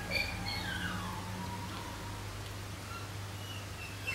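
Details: Three 13-week-old Shetland sheepdog puppies howl at night: one starts alone, seemingly lonely, then all three call for their pack, giving thin, high howls that slide downward over a steady low hum.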